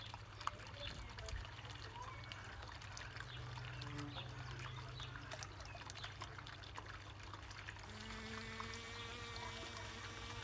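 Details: Honey bee with pollen baskets heavily loaded from a peony, barely able to fly; a steady low buzz with stacked overtones rises clearly in the final seconds over faint trickling, watery background noise.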